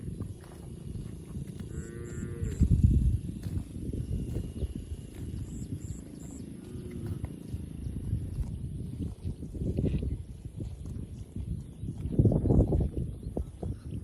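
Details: Cattle eating in a quiet barn; short harmonic moos rise out of steady low rustling and chewing noise around two and seven seconds, with louder low, broad bursts near three, ten and twelve seconds.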